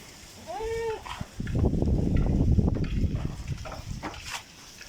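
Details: Domestic goat kept on a rooftop garden in Bangladesh, being teased playfully: one short, clear bleat with stacked harmonics, wavering then held, followed by rumbling handling and shuffling noise.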